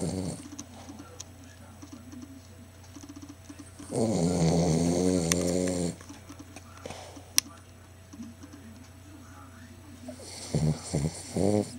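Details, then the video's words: A Cavalier King Charles Spaniel snores very loudly with low, rattling breaths, the loudest lasting about two seconds. "Snoring Cavalier King Charles Spaniel"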